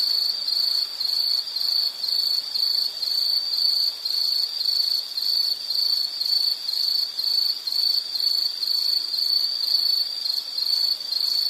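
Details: Insect chirping as calming nature background: a steady high, shrill trill in rapid pulsed bursts, roughly two per second, continuing throughout with no other clear sounds.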